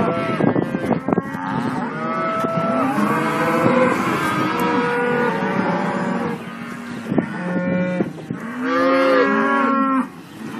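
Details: Herd of young Simmental cattle at a Kars, Turkey farm calling at once, with layered moos, some wavering and some rising. Several calls overlap, and a clearer pair of bawls stands out near the end.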